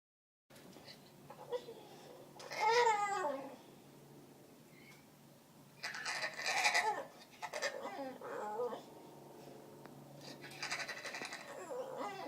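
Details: Aussie Bulldog named Lily making odd, Wookie-like vocal noises indoors: a rising, wavering harmonic moan near three seconds, then longer grumbling bursts around six to eight seconds and softer trailing sounds.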